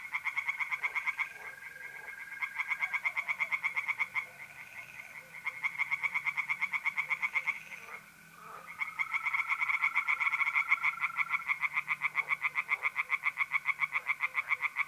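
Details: Tree frogs calling from a pond on a mid-April night in north-east Italy, delivering long runs of quick, regular croaking pulses with brief pauses, while trilling mole crickets keep up a thin, unbroken buzz.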